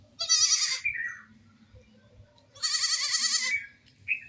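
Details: A baby goat playing gives two long, tremulous high bleats about two seconds apart, each wavering in pitch, with a short squeak at the end and a low hum underneath.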